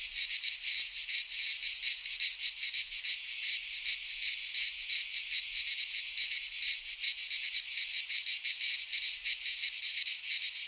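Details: Greek cicadas in a pine forest during midsummer: a sustained, harsh, high rasping chorus with fast flickering pulses and slight swells in loudness, nothing else audible.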